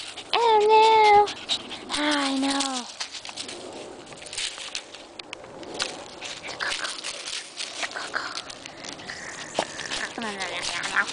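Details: Basset Hound named Floppy, out with a chiweenie hunting for a rabbit in the woods around a house; two drawn-out, tonal bays of about a second each, the second lower and sagging in pitch, followed by rustling through undergrowth and a woman's voice.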